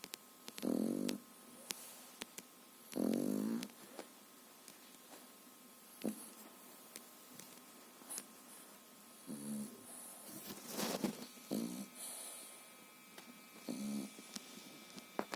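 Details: A three-and-a-half-month-old French Bulldog puppy snores while sleeping sweetly indoors: short raspy snorts in irregular bursts, louder near the start, then softer snuffles with faint clicks and room noise.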